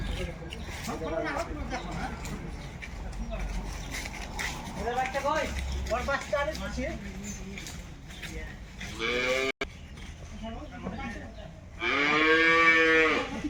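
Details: Jersey cow at a busy wholesale cattle market: a loud, drawn-out, arching call near the end, after a shorter strained call a few seconds earlier, over steady crowd chatter and market noise.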